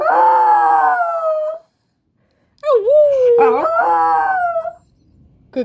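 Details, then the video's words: Indoor Miniature Pinscher, eight years old, howling on cue after her owner howls: a long sustained howl sliding slowly down, a pause, then a second howl that dips, wavers and rises before tailing off. "Cute Min Pin howls on command"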